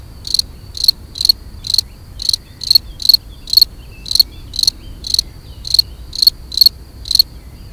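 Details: Mating song of a European field cricket, Gryllus campestris: loud, clear, high-pitched trilled chirps, each a brief pulsed burst, spaced roughly every half second with steady rhythm and near-silent background.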